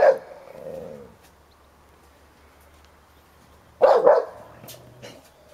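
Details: Sherlock, a 10-year-old Hovawart, defends his toy during play with Heini, a young American Staffordshire Terrier; one sharp bark opens, a soft growl follows, then a quiet gap before a double bark near the end.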